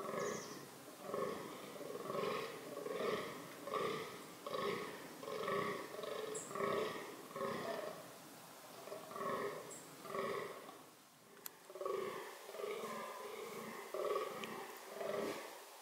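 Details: Fallow deer (Dama dama) in reproductive behaviour groans steadily, with deep belching grunts repeated about once a second throughout. There is a brief pause near the middle, and then the rhythm resumes.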